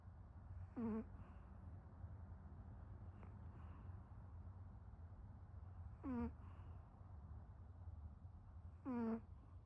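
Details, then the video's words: Pomeranian named Herb snoring while asleep: three whistled squeaks, each sliding downward from high to low, come roughly every three seconds with each breath over a steady low hum. "허브 코골이 찍다가 걸림"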